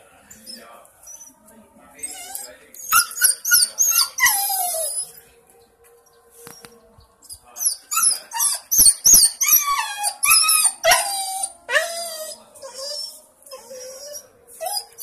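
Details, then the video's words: Berry, a pet dog, cries with bursts of high, squeaky whines that slide up and down, repeated in quick runs with short pauses, ending in a falling whimper; human voices come in between. "Berry the crying dog"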